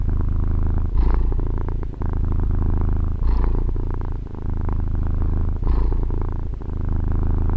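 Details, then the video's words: Pet female cat purring, captured with a Tascam DR-40 recorder. A deep, continuous rumble rises and falls in breath cycles about every two and a half seconds, with brief quieter gaps between them. "Fusa di Gatto ASMR | registrazione con Tascam DR-40 gatto che fa le fusa"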